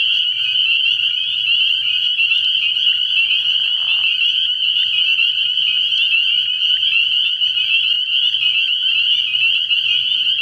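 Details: Dense nighttime chorus of many spring peepers at a frog pond in early spring, a continuous high, shrill wall of overlapping peeps with no gaps; a brief lower burst near the middle.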